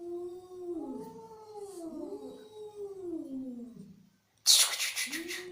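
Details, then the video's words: Angry cat with a low, wavering, undulating yowl lasting about four seconds. A brief silence follows, then a sudden loud harsh hissing burst as another yowl starts. "Angry Cat Sound"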